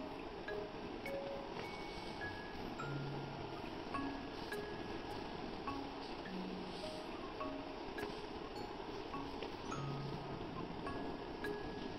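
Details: Soft mallet and chime notes ring out in a slow, sparse melody over a constant hiss of background noise.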